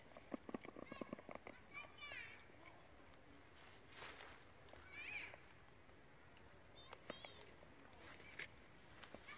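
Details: Monkeys of the Mila troop: mother Katie angry and fighting her tiny baby Chase. Two bursts of shrill, wavering high squeals rise sharply, near the second and fifth seconds, among scattered clicks, rustling and outdoor background noise.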